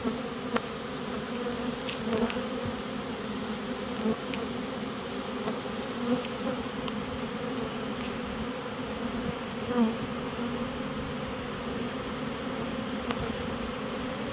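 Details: A honey bee swarm being caught into a new home gives a dense, steady buzzing hum that holds at one pitch as the bees march in.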